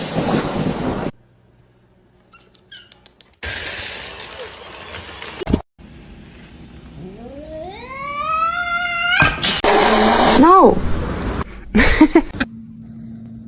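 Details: Domestic cat in a funny pet compilation gives a drawn-out, rising then falling harmonic meow lasting about two seconds, followed by shorter cries, amid bursts of music, laughter and other noises.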